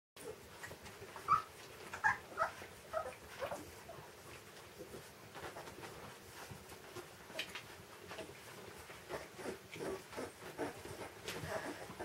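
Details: Rottweiler (Canis lupus familiaris) puppies, 20 days old, from a breeder's litter, give a few thin, high squeaking whimpers, followed by soft shuffling and rustling.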